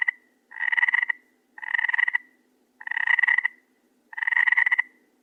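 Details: Nighttime frog calling with rattling, pulsed croaks lasting about half a second each, four full calls spaced about a second apart, over a soft low background hum.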